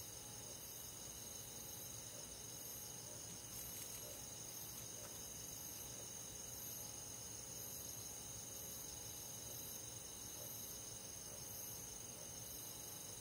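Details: Crickets and other insects calling together on a summer night in a countryside forest; a steady, dense high-pitched trilling with faint rhythmic pulsing stays at the same level throughout, with no other clear sounds.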